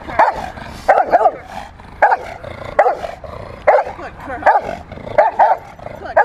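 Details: Rottweiler bitch Freya barks during protection-training play, recorded March 18, 2021: about ten forceful, gruff barks, some coming in quick doubles, at an uneven pace of more than one per second.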